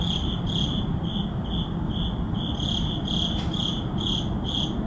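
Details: Crickets at midnight in an urban neighborhood sound short, high, ringing chirps in a steady pulse, nearly two per second, over a deep constant background rumble.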